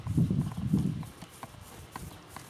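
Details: Missouri Fox Trotter gelding under saddle, ridden after the girth was tightened; two heavy low thuds in the first second, then lighter, sharper clicking steps spaced about every half second.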